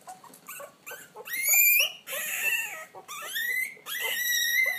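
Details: Puppies finding their voice with shrill, drawn-out howls that slide upward and hold, several long wavering notes broken by short gaps, preceded by a few brief yips.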